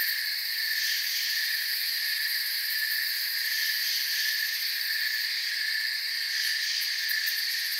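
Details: Crickets in a forest, a dense chorus of steady high trilling stacked in several continuous bands, with no pauses and no other clear sounds.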